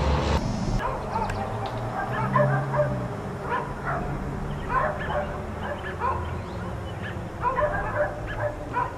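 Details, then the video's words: Four dogs left outside all day by neighbors, barking in short, sharp bursts about every two seconds, some barks doubled, over a steady low rumble of background noise. "4 Dogs Barking Allday"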